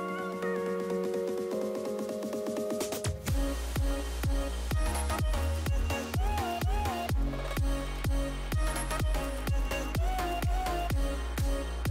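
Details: Electronic dance music opens with sustained synth tones, then a pounding regular beat joins, with no animal voices audible.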